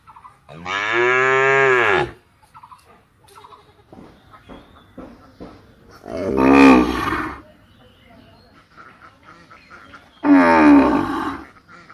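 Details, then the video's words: Three drawn-out cow moos spaced several seconds apart, the first loudest and clearest, the later two rougher and breathier, with scattered clicks and faint background noise between calls. "गाय की आवाज"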